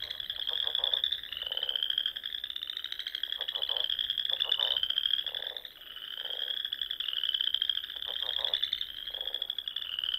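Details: Spring frog chorus from ponds in the Sandhills of Nebraska at dusk, a steady high pulsing trill rising in repeated waves of a couple of seconds, with separate low clattering bursts breaking in every second or so.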